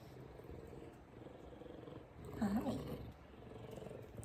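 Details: Deep rhythmic purr of a large male F2 Savannah cat giving affection and headbutts at home, a steady low vibration throughout with one short spoken word midway.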